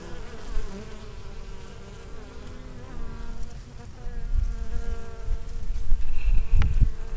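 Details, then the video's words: Minnesota honey bees gathering last-minute winter supplies on a warm mid-November day, landing with orange pollen loads; layered buzzing with gliding harmonic lines as individual bees pass close, ending in a louder rush of low noise. "Bees getting ready for winter - storing pollen"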